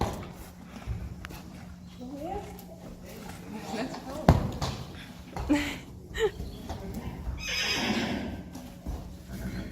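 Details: Friesian horses from a herd, filmed June 1, 2019 while investigating a birthday present; a wavering harmonic whinny rises and falls mid-clip amid human speech, thumps and hoof clatter, with a hissing burst near the end.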